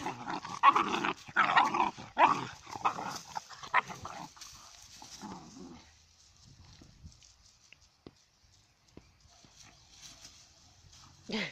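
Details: Puppies wrestle in play, with busy growling and yapping over the first few seconds, then mostly quiet scuffling and faint sounds before a last brief yelp.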